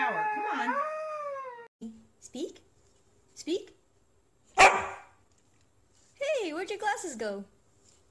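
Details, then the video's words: Siberian Husky talking and howling: an opening drawn-out, sliding howl-like moan, a few short yips, a sharp burst, then a warbling, up-and-down vocal stretch near the end, with human speech in between. "Funny Husky Videos Talking"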